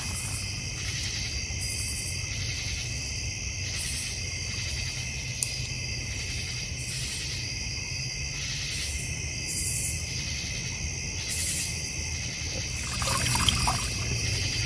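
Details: Crickets calling in a North Georgia Mountains backyard near a fire pit and koi pond: continuous high trilling over steady low rumbling background, with soft pulsing beats and a scratchy noise near the end.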